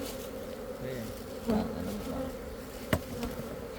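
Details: Khmer honey bees making a steady low collective buzz, louder swells where single bees fly near, plus one sharp tap near the end.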